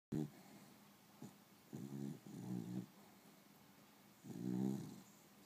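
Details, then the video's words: Beagle asleep during an afternoon nap, in REM sleep; short, rough, buzzing snores in three bursts of about half a second each, with a faint hiss between them indoors. "Snoring with REM"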